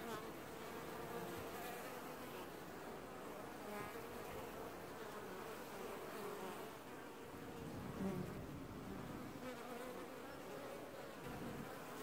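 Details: Honey bees from the only washboarding colony in an apiary, early July 2019; an unbroken hive buzz, mid-pitched and dense, with a short deeper swell near eight seconds.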